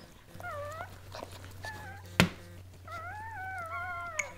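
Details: Thin whining cries as Goldendoodle mother Sandy gives birth to seven puppies: a few short rising-and-falling squeaks, a sharp knock midway, then a longer drawn-out whine that slowly drops, over a low steady hum indoors.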